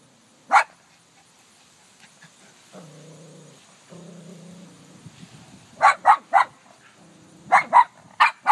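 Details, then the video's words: Dog named Ellie barking at herself reflected in a car; a single bark, then a stretch of low whining grumbles, ending in bursts of sharp paired barks. "Ellie barking at self in car reflection"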